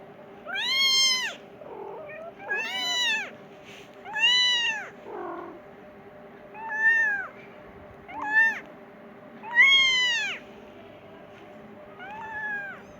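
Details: Persian kitten crying for its mother to be fed: loud, clear meows that arch up and down, about eight in quick succession, with a few soft murmurs between and a faint hum.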